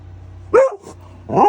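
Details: Female Golden Retriever loudly barking to demand her carrots: two sharp, short barks about three-quarters of a second apart, the first rising then falling in pitch, the second higher, against a low background hum.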